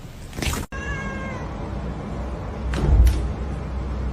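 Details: Domestic cat from a funny-cats compilation gives one short, clear meow with a layered harmonic tone early on, then steady background hum, a sharp click and brief rustling noises.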